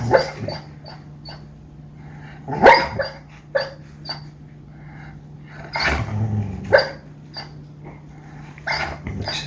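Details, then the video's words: Sleeping female dog barking and growling in a dream, a burst of muffled woofs, huffs and soft growls at irregular intervals over a low steady hum. "Dog Makes Funny Noises While Dreaming"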